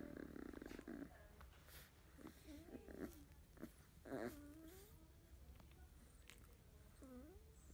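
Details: Field-line Labrador Retriever puppies, 31 days old, in the morning, one yellow female buried among littermates: short wavering whimpers and squeaky rising whines, a few scattered calls over low background rumble.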